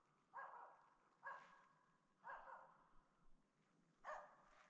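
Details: While hunting in the Lapland taiga in autumn, a female Finnish Spitz gives four sharp, ringing barks about a second apart, with a short pause before the last, marking a capercaillie she has spotted.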